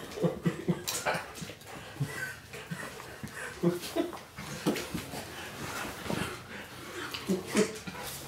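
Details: Two Golden Retrievers playing, one 14 years old and one nearly 2-year-old puppy, give brief, uneven bursts of yips, whines and throaty grunts every second or so, with a person talking and rustling.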